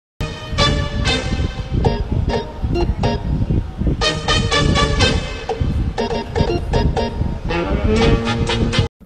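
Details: Loud rhythmic music with tonal chords plays throughout, and no animal voice stands out.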